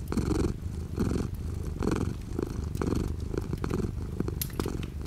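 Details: Domestic cat purring indoors with light rain outside the window: a steady low rumble that swells and fades in a rhythm of roughly one cycle per second, soft raindrop ticks in the background.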